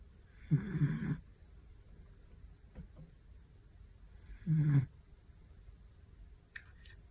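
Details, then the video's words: Loud snoring from a sleeping dog: two strong, low, rough snores about four seconds apart, separated by soft breathing and faint clicks. "cute dog snoring loud when sleeping"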